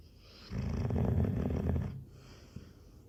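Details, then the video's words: Labrador Retriever snoring: one long, loud, rumbling breath of about a second and a half, low and pulsing, with a faint airy hiss above, then quiet breathing. "snoring blablador"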